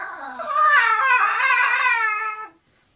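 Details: English Bulldog named Zenuś, indoors while going to sleep, giving one long drawn-out whine lasting over two seconds, rising and wavering in pitch with a rich tonal quality before cutting off into silence.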